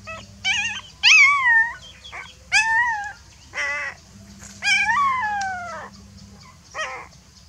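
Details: Scared puppy calling to its mother for help, giving loud high whimpers and yelps, some sliding steeply downward, one long descending whine near the middle, several cries spaced irregularly against a low steady hum.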